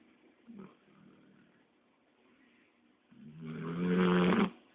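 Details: Labrador Retriever dog snoring after a long walk, indoors: a faint snort near the start, quiet breathing, then a loud rasping snore building over about one and a half seconds with a droning low tone before stopping abruptly.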